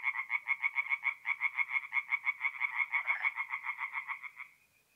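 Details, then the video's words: At a forest pond in north-east Italy on an April night, tree frogs give a fast, regular series of pulsed croaks, about three or four a second, that fades out smoothly into quiet at the close. "relaxing forest pond by night with singing tree frogs"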